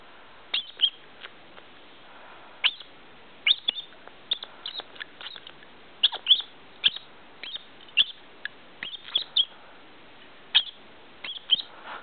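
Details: Squirrel with hiccups after sucking: short, sharp, squeaky hiccup chirps, each brief and high, coming at irregular intervals, often in pairs or quick clusters, about two dozen across twelve seconds over a quiet background.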